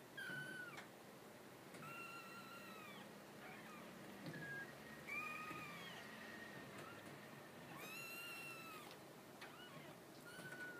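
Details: Purebred Maine Coon kitten, ten days old and small and trembling, mewing repeatedly in clear, high, harmonic-rich cries. Each mew is drawn out and arched, some rising sharply at the start, roughly every one to two seconds over a quiet hiss.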